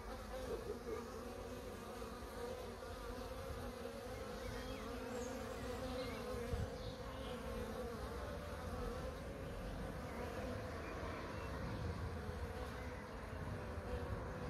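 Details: Honey bees humming in a steady, droning buzz of many wingbeats, unbroken and level from start to finish.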